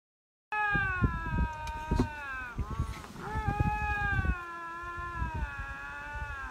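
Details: A lynx, apparently vying for territory, gives long, drawn-out wavering howls, steady in pitch with slight rises and dips.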